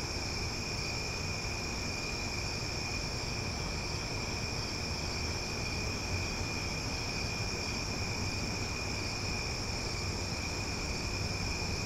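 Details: Loud cicadas on a summer night in Omaha: an unbroken chorus of steady high buzzing in several stacked pitched layers, constant in volume, over a broad hiss and low background noise.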